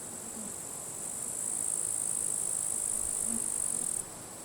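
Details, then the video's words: Grasshoppers in withered grass at a forest edge on a sunny, windy day at the end of July; a steady, high, hissing buzz starts after about a second, holds for nearly three seconds, then cuts off over soft wind. "Wind noise and grasshoppers crackling"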